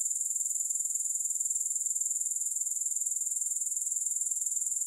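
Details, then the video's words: Grasshoppers producing a constant high-pitched, rhythmic buzzing trill, very regular at about four pulses each second, without pause or any other sound throughout. "Grass Hopper Sounds"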